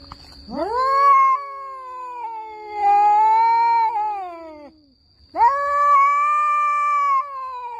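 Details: Fighting orange domestic cats yowl at each other in long, wavering howls, each lasting four to five seconds with a sharp rising onset, a slight dip and a falling tail, then a second howl begins; a faint high tone persists.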